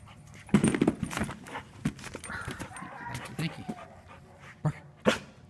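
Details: Young adult male Giant Schnauzer, raised at home with children and other pets, barking during play indoors: a cluster of short, rough, broad bursts early on, then scattered sharper yaps, with a man's encouraging voice throughout.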